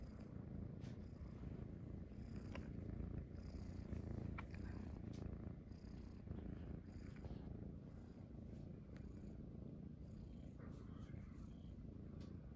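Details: Munchkin kittens Pochakun and Chaabo snuggling on their owner's belly after waking in the morning, indoors; a steady, deep, rumbling purr runs throughout, with faint soft clicks and rustles above it.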